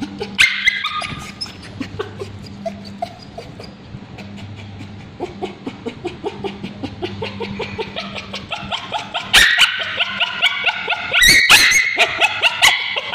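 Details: A male Bichon Frise with scabies screams in distress with shrill, rapid, high-pitched yelps and whimpers as ointment is applied to his tail.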